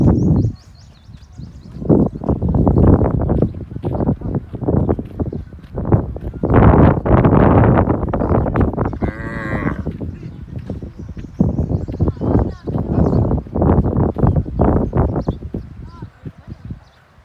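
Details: Kankrej cows in the wild in the Kutch desert low repeatedly in deep, drawn-out moos, several animals calling over one another.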